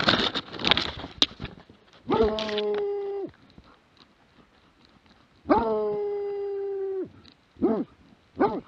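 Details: Plott hound recorded in 2017: after a burst of noisy clatter, two long level bawling howls of over a second each, separated by a pause, then two short sharp barks at the end.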